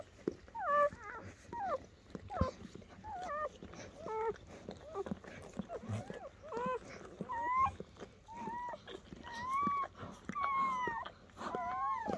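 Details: Newborn German Shepherd puppies from Betty's litter on their first night, born after evening labour under a dim camping light: a steady run of thin, high squeaky whimpers, many bending up then down, often several per second, with faint rustling beneath.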